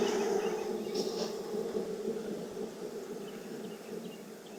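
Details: Honey bees at a hive in Texas, heard during an inspection on a hot day near 92F after three weeks of rain; a dense, steady droning hum throughout, continuous and low, easing slightly toward the end.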